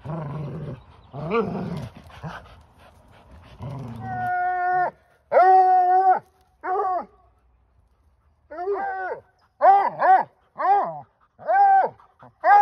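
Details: A 4-year-old Bluetick Coonhound bays while playing tug-of-war with a 2-year-old Labrador-Husky mix, rope still in his mouth: short, ringing rising-then-falling yelps after some rough growling.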